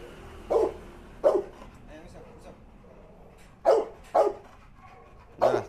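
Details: Barking in Musso's rage at the pitbull that bit Art: five sharp barks in two bunches, a pair early, then three close together near the end, with faint human voices murmuring in the gap.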